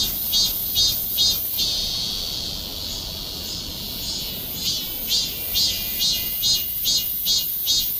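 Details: Cicada singing: loud high-pitched buzzing pulses repeated about every half second, a steady shrill drone between bursts, with a brief pause mid-song before the rhythmic pulsing resumes.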